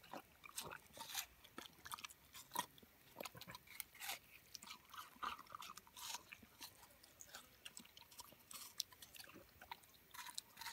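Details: German Shepherd eating watermelon, crunchy wet bites and chewing in irregular bursts, several per second, against a quiet indoor background.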